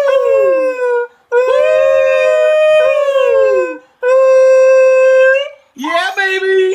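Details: Pet Beagle howling in repeated long, even, ringing notes separated by short silences, the last burst rougher and wavering, with a faint voice in the background.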